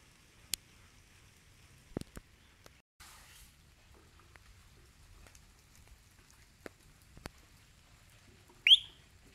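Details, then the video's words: Single high chirping whistle from a frog, a creature said to whistle and sing like a bird, rising abruptly near the end after several seconds of faint clicks and light background hiss. "sonido del animal (silva, chilfla,canta) Es una RANA"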